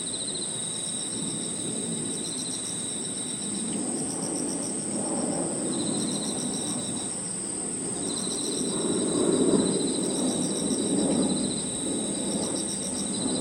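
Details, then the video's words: Crickets and other insects in a park in the evening: a steady high continuous whine, a rapid pulsed chirping that starts and stops, and a lower buzzing trill broken by pauses, over a low rumbling background that swells near the end. "Harmonious sound of crickets and other insects 저녁 공원 풀벌레 소리"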